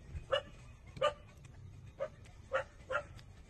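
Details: Five short, bright puppy squeaks, spaced unevenly half a second to a second apart, from 27-day-old pups suckling at their mother, over low rumbling background noise.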